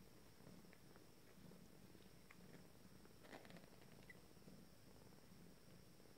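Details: Purring from 19-day-old Abyssinian kittens of a first litter beginning to play; a low rumbling hum with irregular pulses, interrupted by light taps, scratches and brief rustles.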